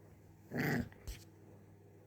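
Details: A little puppy wanting to play, recorded indoors in a small room: a short, rough growling burst of about a quarter second, followed by a brief softer thump, over a steady low hum.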